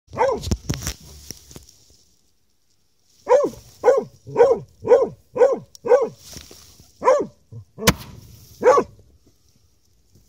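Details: An American Foxhound on a badger hunt bays at a badger it has cornered under an old house, in a quick run of loud, ringing barks, about two each second.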